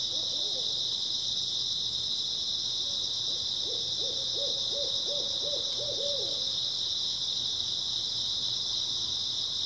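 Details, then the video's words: A continuous high-pitched chorus of grass insects on an early autumn night. Brief hoots are followed by a quick series of about ten hoots in the middle, and then the steady chirping continues alone. "초가을 밤부터 새벽까지 백색소음 풀벌레 소리"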